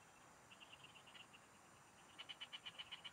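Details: Frogs in the fields near a fishing spot: a soft run of pulsed notes, then a louder series of about eight evenly spaced sharp clicks at a rapid pace, over faint steady hiss.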